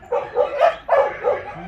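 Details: Large dog at the Mindeulle shelter for abandoned dogs in Yangsan, Korea, during exercise time: two close, clear bursts of barking, each a quick run of two or three mid-pitched woofs, with a short pause between them.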